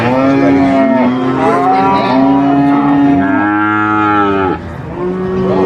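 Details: Market cattle kept for Eid al-Adha sacrifice, a loud, steady drawn-out moo held for about three seconds, then a second lowing call bending downward, followed by a softer moo.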